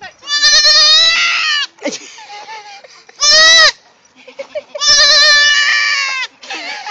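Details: Goat kid about four hours old, unhappy and calling for its mother: three loud, long, wavering high bleats with quieter softer bleats between them and a woman's voice coaxing nearby.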